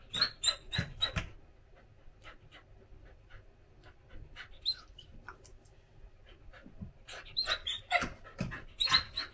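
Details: Daifuku, a female Samoyed born 17 December 2021, whines for her owner's affection in the morning; clusters of thin, high squeaks and yelps open and close the passage, with a quieter stretch of soft snuffles between them indoors.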